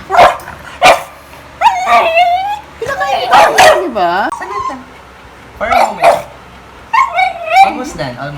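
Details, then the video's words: Pet beagle in the Philippines producing a mix of sharp yips and sliding, yodel-like howls that dip and climb in pitch, interrupted by bursts of human speech nearby. "Funny Sounds Our Beagle Makes Everyday"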